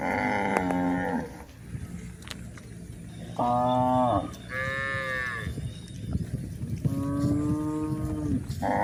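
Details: Village cows in a herd grazing on green pasture, several moos in sequence: harmonic calls, some sliding downward, others held and higher-pitched, with short gaps and steady low rumble of background noise between them.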